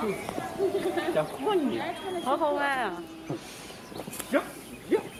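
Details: Red pandas in a fight, a pair giving twittering, bird-like squeals that bend up and down, the densest chattering in the first three seconds, then sparser sharp yelps, while a voice talks over them.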